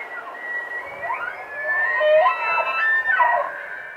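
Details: Bull elk in rut in Rocky Mountain National Park, wavering whistled tones bending up and down through several overlapping harmonics, swelling louder midway and fading near the end.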